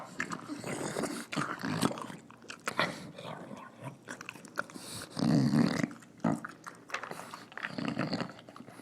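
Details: Female English Bulldog eating her dinner, snorting and snarling as she eats, with low rough grunts, chewing and bowl clatter in irregular bursts, and one louder snarling stretch near the middle.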